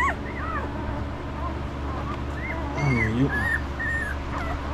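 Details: Five-day-old Estes puppies being checked: thin, wavering squeaks and whines in quick irregular succession, with a louder, deeper cry midway, under a steady background hum and a person talking softly.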